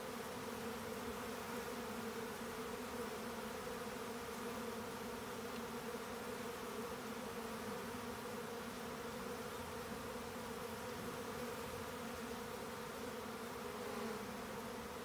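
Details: Swarming honeybees as a colony divides, heard as a continuous droning hum of countless wings, low steady bands with airy hiss above, level loudness and no gaps.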